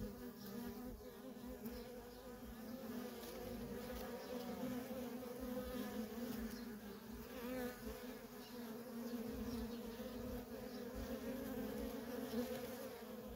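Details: Sustained swarm-like hum of worker honey bees coming and going at a feral colony, a rich steady drone with layered overtones and individual bees weaving through, barely changing in loudness.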